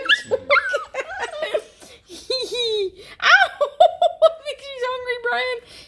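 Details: Young Bluetick Coonhound puppies, at least one female, give long, mellow hollers that rise and sag in pitch as they beg to be fed breakfast around getting microchipped. People chatter and laugh over and between the baying.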